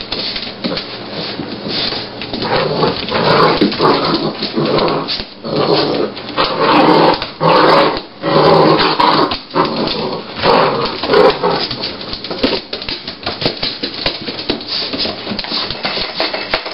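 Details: Seven-week-old puppies from 2009 make dense, rough growling and yapping sounds in near-continuous bursts. Brief lulls come around five and eight seconds, and the sound is muffled and lacks high tones.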